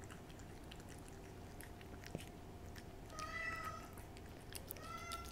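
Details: Cat with a Ciao Churu treat makes soft, sparse licking clicks, then a drawn-out meow and a second, shorter meow near the end.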